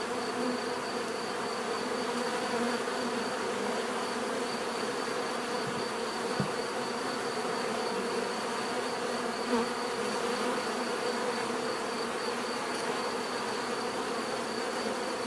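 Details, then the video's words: Constant low humming from a mass of bees, steady in pitch and loudness, broken only by a few faint clicks or taps near six and ten seconds, with a thin high tone in the background. "bees therapy relaxing natural buzzing sound"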